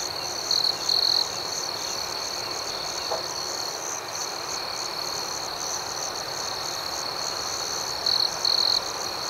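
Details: Rhythmic night chorus of crickets, a steady shrill trill with pulsing higher chirps, punctuated by paired louder close trill bursts near the start and near the end, plus one faint tick midway.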